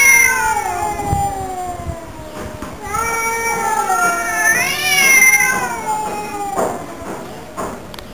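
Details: Two house cats yowling in a duet, long wavering wails sliding down then rising again, one swelling higher cry near the middle, a few clicks and taps in the background.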